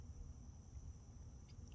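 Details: Crickets and small insects at night in late July make a steady, high, continuous trill. The trill is faint above a low rumble of background noise, and no frogs are heard.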